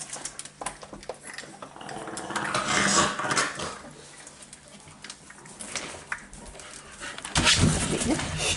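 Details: Young Staffordshire bull terrier puppies from the Panda litter at a breeding kennel, recorded 29 May 2018 indoors. Rapid grunting yips and squeaky whines come in clustered bursts, with a woman talking nearby.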